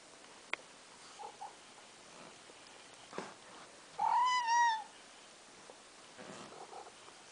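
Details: A pet cat meowing over food indoors while being cat-sat on December 4th, 2023, one of two house cats: a single clear, arching meow of about a second midway, with light rustles and clicks around it.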